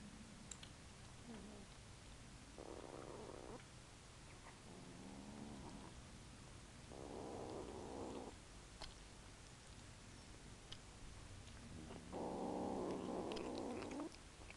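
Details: Hungry kittens growling while eating, with smacking. Rough, low growls come in separate bursts of one to two seconds, four or five of them, between faint smacking and clicking sounds from eating indoors.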